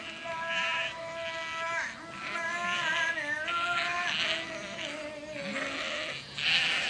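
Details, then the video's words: Sheep flock answering a farmer calling them, several overlapping wavering bleats layered together, some rising and falling, continuous chorus with no clear gaps. "Farmer Calling His Sheep"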